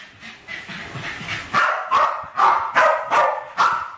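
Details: Two West Highland White Terriers, Alfie and Crystal, around 7 and 8 years old, playing with balloons in a kitchen in 2012; after a quieter start, sharp barks come in a quick run, about six in under three seconds.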